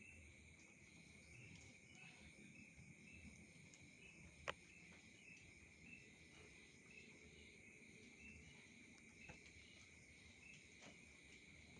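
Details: Insects calling at night: a steady, unbroken high-pitched drone with a second shrill band far above it, plus faint ticking chirps and a single sharp click near the middle.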